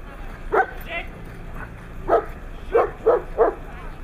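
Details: Siberian Husky recorded on 3 February 2017 in Nizhny Novgorod on the day of a competition: five short, sharp barks, one near the start and four bunched closer together toward the end, over a quiet, low background hum.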